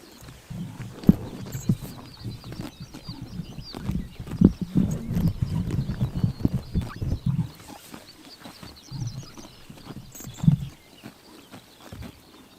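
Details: Horses eating grass on a summer morning in Tuv province, Mongolia: dense, crunchy chomping and tearing with irregular low thuds, busiest in the first seven seconds, then sparser bites and a quiet pause near the end.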